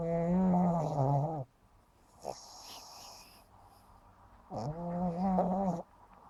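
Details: Pug Yumax, aged 7.5 months, fast asleep and snoring loudly: two long, rattling, nasal inhales, each about 1.5 seconds, separated by a soft whistling exhale and a short snort in a quiet room.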